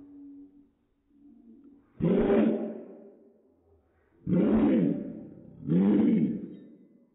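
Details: Dog barking, played in slow motion: three drawn-out, deep, roaring bursts with a falling tail, each lasting close to a second. The first comes alone and the last two follow close together, after a faint low tone at the start.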